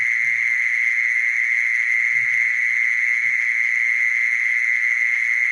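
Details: A mole cricket calling with a sustained, even ringing trill at a fixed high pitch, accompanied by a few faint low knocks and rustles.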